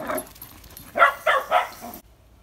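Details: Playful dogs, a cockapoo named Bailey and Oreo, a French bulldog crossed with pug puppy, at a family barbecue over a bank holiday weekend: one short bark, a pause, then three sharp, bright barks in quick succession before sudden quiet.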